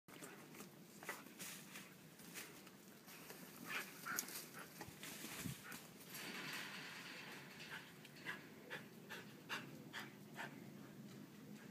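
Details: Whippets Miss Sophie and Pemba playfully digging in soil, with quiet, rapid breathy bursts of panting about twice a second, mixed with scratchy scraping of earth.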